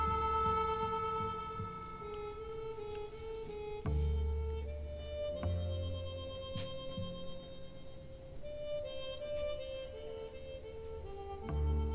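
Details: Harmonica music with sustained chords and occasional soft knocks, no animal voice heard.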